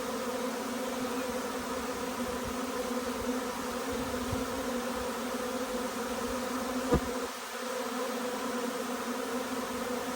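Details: Honey bee swarm arriving, a dense steady hum of many bees with banded tones and no pauses; a single sharp tap or knock near the seventh second, then a brief dip in loudness.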